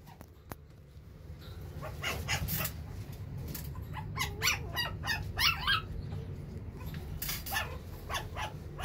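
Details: Silver-coloured male puppy with a round face, kept by a breeder, giving a rapid run of short, sharp yips and squeaky barks, some closely bunched, over a low steady background hum.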